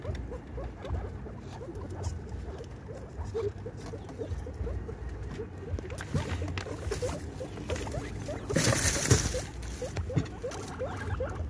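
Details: Female guinea pig having her baby. A busy stream of tiny chirps and clicking squeaks runs throughout, with a louder rustling burst near the end over a low background drone.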